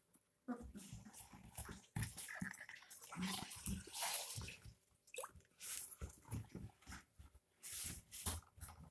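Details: Twenty-two-day-old puppies drinking milk from a bottle indoors: wet slurping and sucking noises in uneven bursts, with soft brief whimpers mixed in, and faint handling sounds around them.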